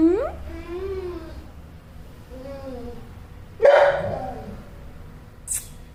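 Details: Annoyed dog, tied up, making weird whining noises: wavering, moaning tones that rise and fall in short phrases, followed by a sudden sharp clatter and a brief high hiss.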